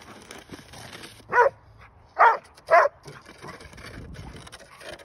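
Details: A Bull Terrier outdoors in snow, "helping" shovel snow, gives three short, harsh barks spaced under a second apart against a quiet background.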